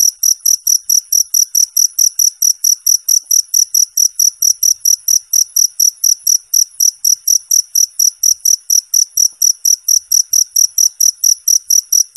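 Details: Cricket offered as a clean, clear sound for teaching competition birds: a long, even run of very high, sharp chirps, roughly four each second, unbroken and steady throughout.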